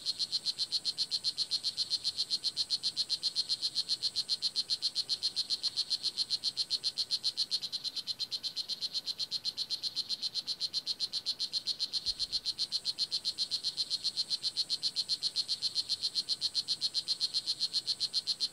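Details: Blue jeans poison dart frog (Oophaga pumilio) filmed at the Kahka Creek Rainforest Preserve in Nicaragua: a rapid, steady train of short buzzy chirps, nearly four per second, high-pitched and evenly repeated throughout with faint background hiss.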